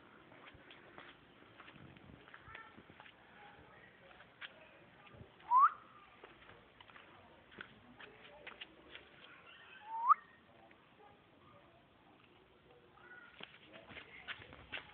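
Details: A male pet Pekingese gives two short, high whines that sweep sharply upward, several seconds apart.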